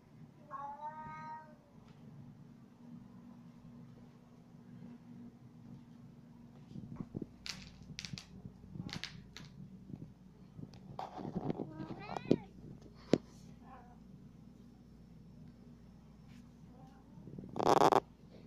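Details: Male domestic cat that wants to follow its owner around, giving a short harmonic meow near the start, then scattered clicks, thumps and handling noises with a faint wavering cry midway and a loud bump at the end.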